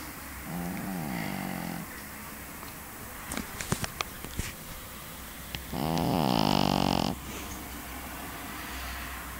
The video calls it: snoring dog - 2 - pekingese